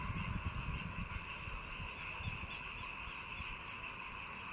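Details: Frogs in early-morning rice paddies after the harvest give a dense chorus of rapid, overlapping croaks and pulses, with a steady high insect-like hum.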